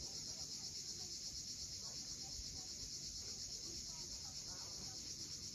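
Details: A continuous sizzling chorus of cicadas fills a sunset on the steep seaside cliffs of Cape Fiolent in Crimea, even and unvarying in loudness from start to finish.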